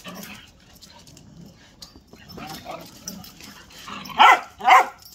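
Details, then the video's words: Whippet male dog during an impromptu play session; soft low grumbling sounds early, then two sharp loud barks near the end, with faint background noise. "Whippets Have a funny way of playing"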